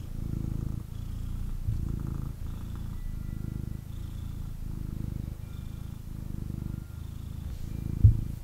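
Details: Male kitten snuggling in its owner's arms, purring hard; a deep rumbling purr swells and fades in regular cycles about once a second, with brief quiet gaps between breaths.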